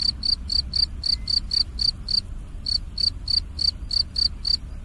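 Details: An autumn cricket chirps in quick, even pulses, a high pure trill repeated several times a second.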